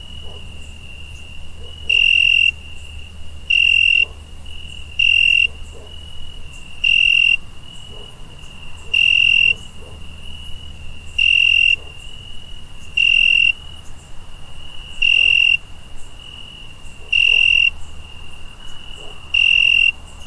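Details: Cricket at night, giving loud, steady, high-pitched trills that last about half a second and repeat roughly every two seconds, with a faint continuous low hum underneath.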